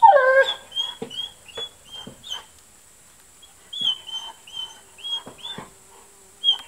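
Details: Kuvasz puppies, 37 days old, litter from the Crystal Diamonds kennel, 20 July 2014; a thin squealing whine opens, then a run of short high whimpers and squeaks, several per second, separated by soft thumps and brief quiet gaps.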